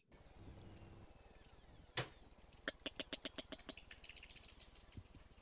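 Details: A sperm whale coda off Otago, New Zealand, among the first codas recorded there: an unusually long patterned burst of about eight or nine sharp, broadband clicks, unlike plain echolocation clicks.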